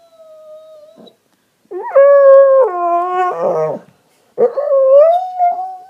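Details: Pet dog indoors throwing a temper tantrum after pushing his bone under the sectional sofa: a thin whine, a pause, then long loud wavering howls and a rising, drawn-out whine.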